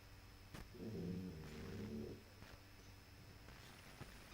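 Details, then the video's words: Sleeping puppy giving a single low, rattling snore of about a second and a half, harsh and humming with stacked tones, followed by quiet room stillness and faint clicks. "Щенок храпит"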